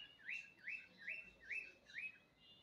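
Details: A friendly wild white baby red fox from a family of five in back woods, tagged Birmingham UK, comes to be fed, giving five high, squeaky whines about every half second, each sliding upward then levelling off.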